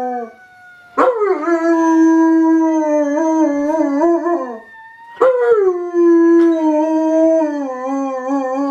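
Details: Dog howling along as a fire siren sounds: two long mournful howls, each starting with a sharp rise, then holding a wavering, quavering tone for several seconds, separated by a short pause.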